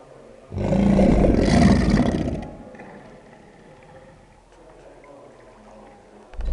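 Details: American alligator bellowing at the start of the breeding season: a deep, rumbling, throaty roar lasting about two seconds, loud and low-pitched, then fading to quiet background.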